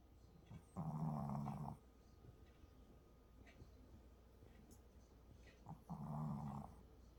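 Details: A sleeping puppy snoring: two low, rough, drawn-out breaths about a second long each, separated by several seconds of quiet room hiss.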